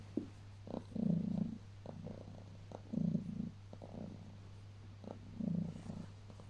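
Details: Pet cat, apparently named Heliana, cuddling in bed on waking in the early morning, purring: a low rumbling purr that swells into louder bursts about every two seconds, with quieter breaths between, over a steady faint low hum indoors.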